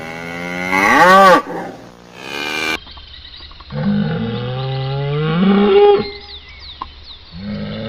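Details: Cattle mooing with a loud wavering bellow, a pause, then a long low moo gliding upward and a short low call at the end.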